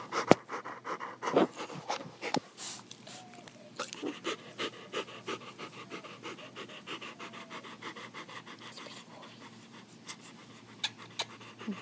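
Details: Jackson, a pet Rottweiler called a cuddle bug and a giant boy, pants steadily with rapid, even breaths repeating several times a second, with a few sharp clicks and mouth noises early on and faint background noise.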